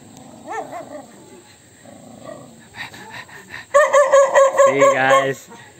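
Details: ['Dog angry at an annoying sound, after soft whines and human voices, breaking into a fast, fairly regular volley of loud, high barks, roughly two per second, ending in a drawn-out yowl.']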